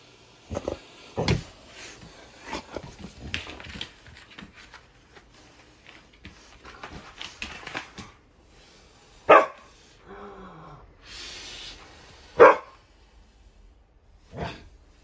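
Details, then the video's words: Siberian Husky, male, indoors, reacting to air blown on him: a few sharp barks early, then scattered vocal grumbles, a sliding whine near ten seconds, and loud isolated yelps spaced a few seconds apart in a small room. "My Husky Hates When I Blow Air On Him"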